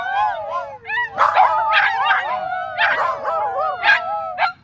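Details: A chorus of howling dogs fills Dunedin's dog park, coached as a dog choir: sustained wavering howls overlap with sharp high yips and bark-like bursts in quick succession.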